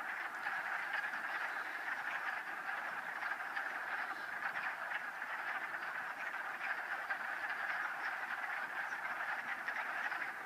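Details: Wood frogs in a mating ball in a vernal pool east of Town Park, Old Saybrook, Connecticut, 13 March 2013: dense chorus of rapid, duck-like clucking croaks.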